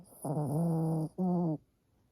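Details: Pomeranian with a notoriously heavy snore: two tonal, nasal snores, the first drawn out for nearly a second with a slight dip in pitch, the second shorter, both rich in harmonics, in a quiet room.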